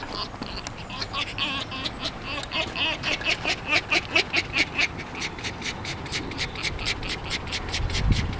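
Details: Jenson, a tame and very excited fox greeting the person it is always pleased to see, gives a rapid run of harsh, raspy chattering pulses, roughly two per second, rising in intensity mid-sequence, with faint background noise indoors.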